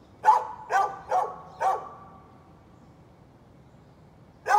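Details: Neighbor's dog, 13 November 2020, barking four times in quick, slightly uneven rhythm, then quiet for about two seconds before one more loud bark.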